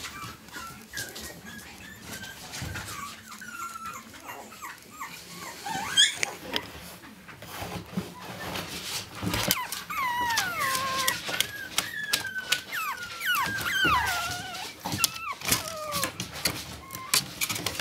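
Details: Male Chihuahua puppies at a kennel in Saint Petersburg whimper with thin, high, wavering whines that rise and fall in quick, overlapping bursts.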